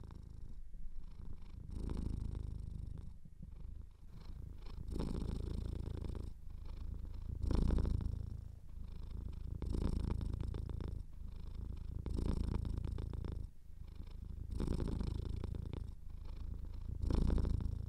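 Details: Domestic cat with a slightly clogged nose purring indoors, a deep throbbing rumble rising and falling in regular waves about every two seconds across the whole stretch, with slight nasal wheeze.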